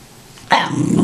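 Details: Indoor Tibetan Terrier begging for popcorn after being refused: a brief, throaty grumbling growl about half a second long starts abruptly after a quiet pause, with a softer second burst at the end.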